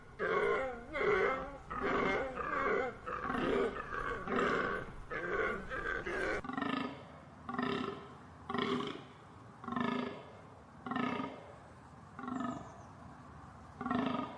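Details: Deer giving a run of short, hoarse, harmonic bleats or grunts, roughly one each second, in a steady repeated rhythm.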